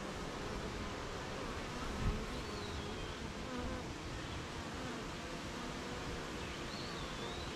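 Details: Hive of honey bees on a rainy morning among gardens, farms and fields: a dense, steady droning hum under hissing rain, with a couple of faint, brief bird chirps.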